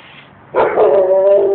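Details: Dog at home barking while a young boy gets mad at it; one sudden loud bark followed by a sustained, tonal, whining howl lasting about a second.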